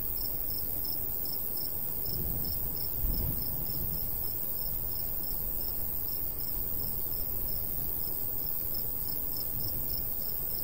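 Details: Crickets in summer countryside beside a golden wheat field, a light breeze blowing: high, even chirp pulses repeat roughly every half second over a steady shrill hum, with a low rumble of breeze beneath throughout.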